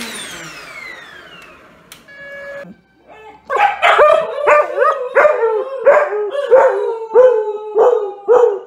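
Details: Dog barking in a rapid, regular series after a quiet opening with a falling whistle-like tone and a brief mid-pitched note; about a dozen sharp, yelping barks come roughly every half second.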